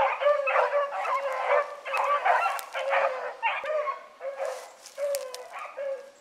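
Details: Hound pups named Ringo, Mingo and Choco baying while running a rabbit in the morning; overlapping drawn-out bays and yelps, several dogs calling over each other in dense chorus with brief gaps.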